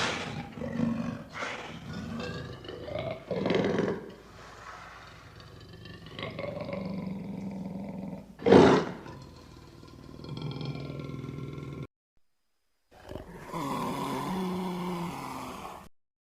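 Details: Lion giving loud roars: deep, rough, drawn-out bellows in a series, with one sharp, very loud burst near the middle, a brief pause, then further grunting roars.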